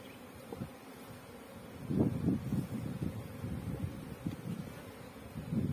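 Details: Honey bees buzzing at a Pakistani bee farm: a low, rough hum that grows louder midway, with quick irregular pulses as individual bees pass close.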